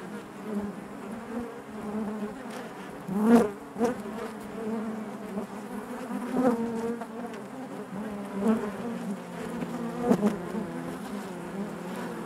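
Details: Inside a honey bee hive, a continuous droning hum of many bees, low and layered, broken by sharp louder passes and clicks at intervals, roughly every three seconds.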